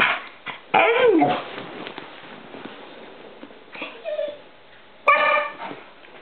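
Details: Poppy, a female dog, is determined to catch a reflected light on a wall. A high, whiny yelping bark falls in pitch, a short yip comes later, and a sharp bark follows near the end.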